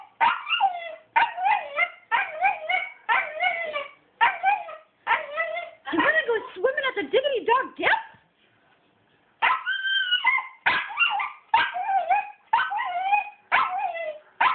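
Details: Excited to go swimming with a group of dogs for a fundraiser, Coby the dog produces a long series of rapid, yodelling whines and yips, roughly two per second, with one brief pause midway.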